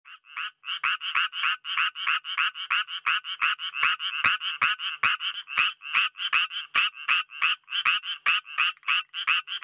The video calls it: Japanese tree frog ニホンアマガエル Hyla japonica